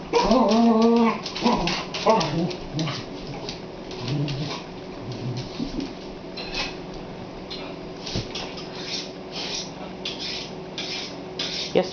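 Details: Boxster, a pet dog, challenges an 'intruder' watermelon lying on a kitchen floor indoors. Loud harmonic barks and whines open the clip, then fade as people talk and urge him on.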